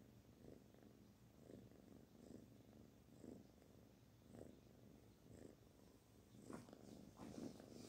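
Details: Kitten Barfi purring contentedly while stroked, a deep rolling rumble that rises and fades roughly once a second, with light rustling of fur toward the end.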